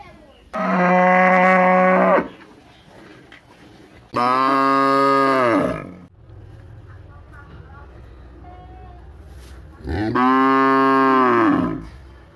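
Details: Cows in a village, loud long harmonic moos: three separate bellows at about 0.5, 4 and 10 seconds, each lasting roughly two seconds, the later ones bending downward in pitch at the end, with quiet pauses and faint background noise between them.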